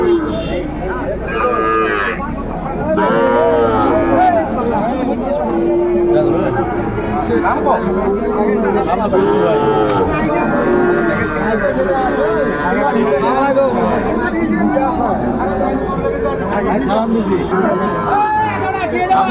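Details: Sahiwal bull calves at a Chattogram cattle market in Bangladesh, 11 January 2025. Several short, arching moos recur through a constant murmur of buyers and sellers talking and bargaining close by.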